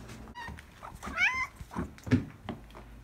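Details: A pet cat crying for hair ties it loves to play with; one short rising-then-falling meow, with a person coaxing nearby and light handling noise.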